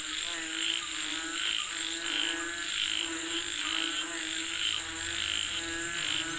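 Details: Frogs croaking as if calling for rain, a thick chorus of repeated buzzy, harmonic croaks about two per second, backed by a continuous high-pitched hum.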